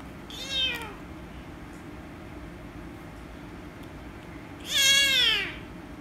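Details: Angry rescue kitten meowing loudly when petted, two harmonic meows, a short one near the start and a longer, louder falling cry about four seconds later, over a faint steady indoor hum.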